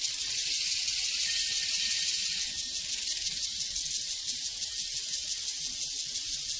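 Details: On a prairie, a mass of crickets produces a continuous hissing, high chirping chorus with fine rapid pulses, even in loudness from start to finish.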